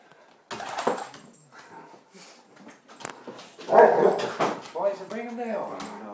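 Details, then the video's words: A dog welcomes a family member home after roughly a month's absence, as it does on every return; short yelps and barks give way to wavering whines near the end, overlapping with people talking. "Dog's Home Welcoming"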